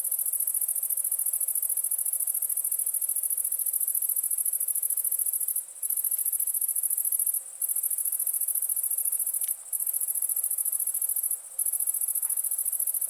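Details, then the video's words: A cricket gives an unbroken, piercing high-pitched trill of rapid pulses, with four brief breaks in the second half. "Cricket sound"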